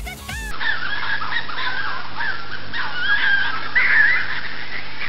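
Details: An adult fox gekkers, a rapid, throaty, stuttering chatter of warbling notes used in territorial fights or by young kits play fighting.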